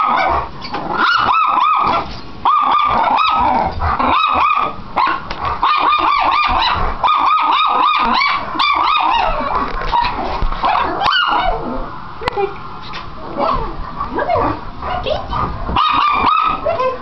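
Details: Pet dogs, a Chocolate Labrador and a teacup Chihuahua, barking in irregular bursts of sharp, high yaps, with brief pauses and a few quieter spells between volleys.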